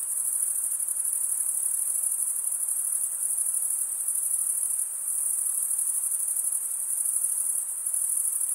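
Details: Steady chorus of chirping crickets, males drawing one wing across the comb-like teeth of the other, heard as a shrill, finely throbbing continuous trill with slight swells in loudness.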